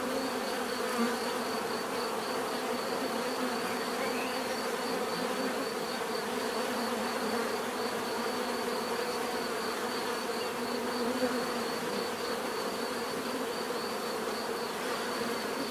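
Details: Bees buzzing together in nature, an unbroken swarm drone with overlapping wingbeat hums and a steady high whine, a few individual bees passing closer now and then.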